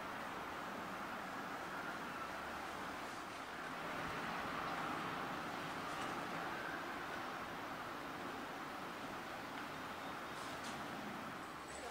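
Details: Quiet, steady broadband hiss and rumble like distant traffic fills the recording, swelling slightly midway, with no animal sounds.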